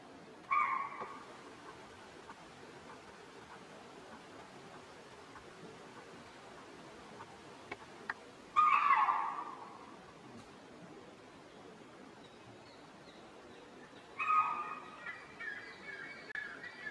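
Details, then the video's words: Chital, or spotted deer, sounding alarm in the forest of Tadoba Andhari Tiger Reserve during Wildlife Week 2020, warning other deer and ungulates of a tiger; three sharp, high barks roughly six to eight seconds apart over quiet background. "These frequent calls of spotted deers alarm the adjoining groups of ungulates around."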